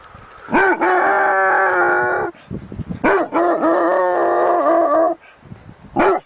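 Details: Dog begging with long, drawn-out, howling whines, each lasting about two seconds. The tone wavers and pulses. A short yelp closes the sequence, with low muffled noises between the cries.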